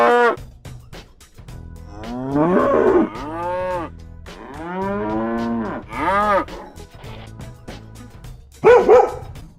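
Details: Cow lowing in a series of arched, bellowing moos, a short one, then longer rising-and-falling calls, ending with a sharp final moo, accompanied by rhythmic background music.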